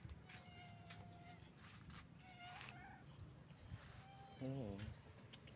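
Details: Stray street cat calling its friends for food: several drawn-out, harmonic meows, one bending and wavering near the end, mixed with a person's voice greeting it and low background rumble.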